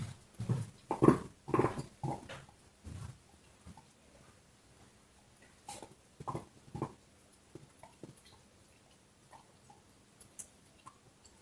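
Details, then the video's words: Dog chewing a bone: a run of loud, rapid crunching bites at first, then softer, scattered gnawing and small clicks as the chewing slows and quietens. "Hund kaut Knochen - Dog is chewing bone"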